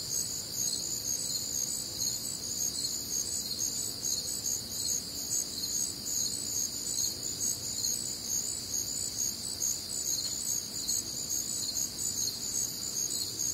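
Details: Warm, humid summer night in the Midwest, many crickets trilling together in bright, high layered bands, their rapid pulses overlapping into a continuous shimmer over a soft low background hum.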